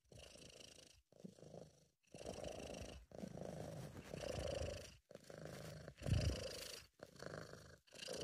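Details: A contented British Shorthair cat purring, recorded at home by an amateur: a low, vibrating rumble in about eight breath-long phrases separated by brief silences, each inhale and exhale purr roughly one second long.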